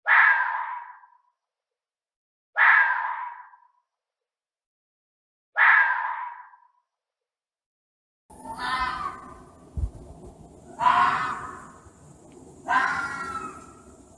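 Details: A fox, described as angry, gives harsh, hoarse screams, each about a second long, spaced a few seconds apart.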